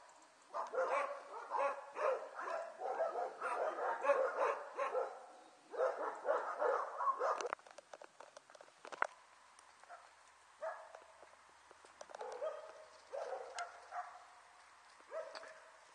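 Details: A litter of six-week-old Border Collie puppies, recorded 5 January 2013 while their mother watches over them, yapping rapidly in clustered squeaky barks for several seconds, then trailing off into scattered softer whines.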